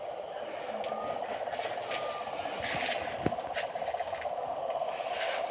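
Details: At night near a house, many frogs call together in an unbroken, mid-pitched rattling, trilling chorus that blurs into a continuous hum, with thin, steady insect tones whining high overhead and a few brief scratchy sounds.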